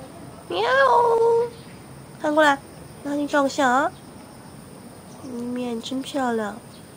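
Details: Two cats, Fengfeng and Huangxiaomi, walked in a Beijing garden early in the morning on August 13th, 2013: a drawn-out rising-and-falling cry, then a quick cluster of short calls, and a final pair of arched, wavering calls after a pause.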